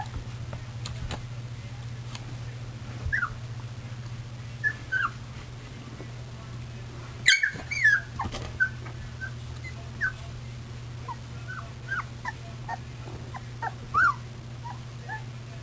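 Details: Puppies milling about on 24 February 2010. Sparse, faint whimpers and brief squeaks scattered across the recording, with a sharp knock partway through and a constant low hum underneath.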